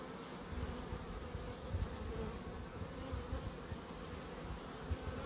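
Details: Humming bees in a small garden in Crookes make a continuous droning buzz, with low rumbling flutter and soft thuds underneath.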